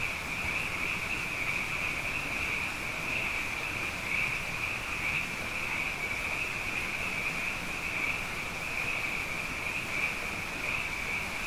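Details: Night chorus of numerous frogs after two rainy years: a sustained high trilling band that pulses gently throughout, set against steady low background noise.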